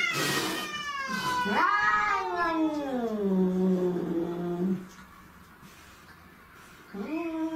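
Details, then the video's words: Alley cat fight with a sharp screech, then a long, sliding, descending yowl that settles into a steady low moan, a brief silence, and another yowl starting. "Deadly Cat Fights"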